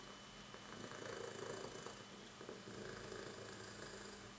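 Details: On his fourth birthday, with boxes and treats around him, Oki the moustache cat gives a low, steady purr that rises and falls in gentle waves, close to the recorder indoors.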